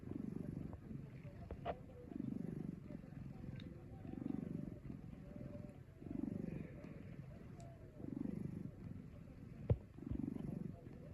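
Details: Kinako, a chubby rescued pet cat who loves sleeping and eating, snoring in her sleep: six low, rasping snores, one roughly every two seconds, with a faint click near the end.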